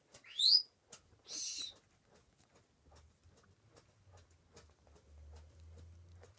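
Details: Pet Chihuahua puppies: a sharp rising squeal, then about a second later a shorter breathy whine. After that come soft taps and rustling over a low hum.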